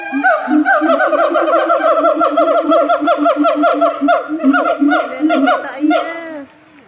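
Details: Zoo siamang in North Lombok in full voice: a rapid, continuous chain of rising, ringing barks and whoops, almost three per second, for several seconds before stopping abruptly.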